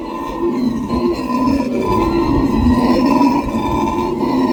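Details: Several howler monkeys roaring together, a continuous gravelly drone of deep, growling howls that holds steady and loud throughout.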